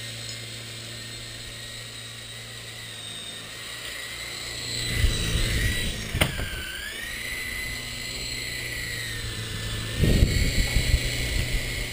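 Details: A toy helicopter's high motor whine that dips and rises in pitch over a low engine drone, with a few thumps and knocks, and no animal calls.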